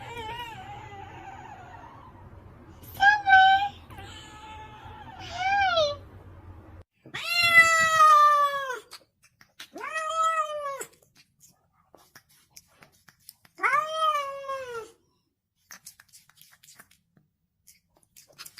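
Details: Pet cats talking indoors: about six drawn-out harmonic meows, some wavering and descending, spaced over quiet gaps, with soft human speech and faint clicks between calls.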